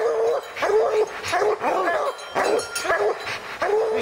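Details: Hounds barking at a treed bear in the evening, one pounding on the tree; rapid, overlapping chopped barks and yodeling howls, several dogs sounding at once with barely a pause.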